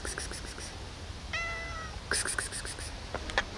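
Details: Tiny lost kitten found near the back of an old supermarket gives a single clear, tonal mew lasting about half a second, level then slightly falling, amid rustling and soft clicks, with a person speaking before and after.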